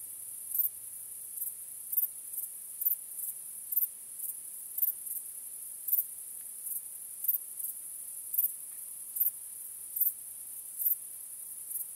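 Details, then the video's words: Crickets calling on a starry night: a high, constant ringing trill with sharp accented chirps recurring every half to one second, fairly regular, with nothing else audible. "Cykanie Świerszczy 🦗 Gwieździstą Nocą 🌙 {Night Crickets Sound}"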